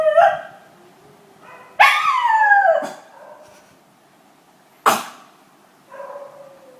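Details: Schnauzer named Money, howling then coughing: a short howl, a longer wavering howl, then abrupt harsh bursts and a final softer howl.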